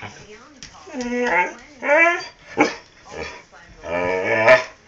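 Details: Dust, a pet dog that talks, gives four drawn-out, whining, voice-like moans with rich harmonics. Their pitch slides up and down, and short quiet gaps separate them.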